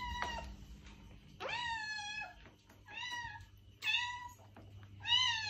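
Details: Cat meowing to draw in a stray cat: five short, fairly soft meows, some rising then falling in pitch, with faint clicks and a low background hum between them.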